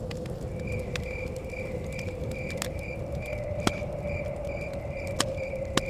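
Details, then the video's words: Forest cabin scene where crickets give regular high chirps about three per second, while a fire pops and crackles sharply now and then over a low, windy background. "Chirping Crickets"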